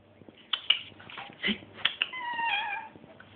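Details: Domestic cat screaming indoors: a run of short high cries, then a drawn-out wavering yowl with stacked harmonics, over a low steady hum.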